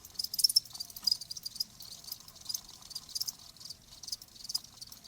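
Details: Softer cricket chirping, a nature sound meant to ease tinnitus: uneven high buzzy pulses in loose clusters, quieter and more scattered, against a faint background murmur.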